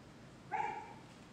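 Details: Great Pyrenees dog during a directed jumping training session, giving one short, half-second bark with a clear tonal ring that trails off, over a steady background hiss.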